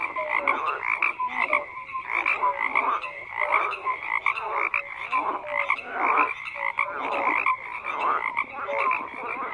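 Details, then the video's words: Many frogs calling together, a thick chorus of raspy croaks with short clear whistled notes threaded through, bursts swelling and fading every second or so. "FROGS CROAKING"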